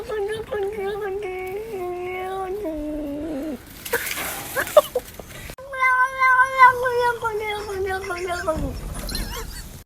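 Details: A frightened grey house cat, stuck on top of a garden fence in Hoofddorp, Netherlands, on June 24 and scared of the person helping it, gives long, wavering, moaning yowls that dip and rise.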